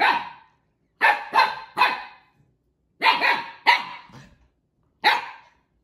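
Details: Siberian Husky puppy barking at Juno, who took his toy, during play between the husky puppies: short sharp barks in clusters, two or three at a time with pauses, the last one single, in an indoor room.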